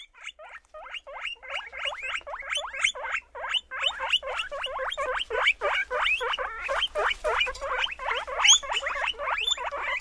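A guinea pig gives a fast, unbroken run of short, high squeaks, about three a second, sharp and slightly rising, over a quiet background.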